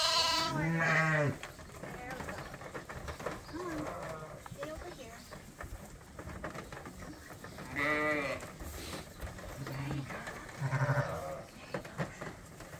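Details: Lambs on a farm, fed by bottle twice a day while still with their mothers: a loud wavering bleat at the start, quieter bleats in between, and another strong bleat later amid low background rumble.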